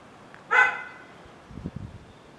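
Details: A single Xoloitzcuintle bark in Cuzamá, short and sharp with a harmonic ring that fades over a quarter second, followed by soft thumps and a person speaking Spanish nearby.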